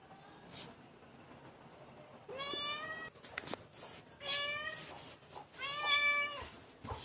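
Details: Domestic cat giving three meows, each a drawn-out, slightly falling cry, spaced a second or two apart over a faint hiss of background noise with a few soft clicks.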